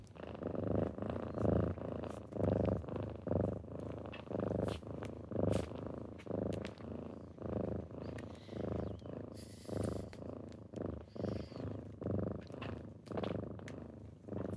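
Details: Kittens rousing their owner in the morning with close, rhythmic purring, each breath giving a rumbling burst roughly once per second, with faint rustles between.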